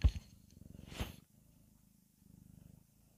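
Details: A cute domestic cat purring indoors: a low, rapid, vibrating rumble in steady pulses, loud at first with a brief rustle near the start, then softer purring continuing in rhythmic bursts.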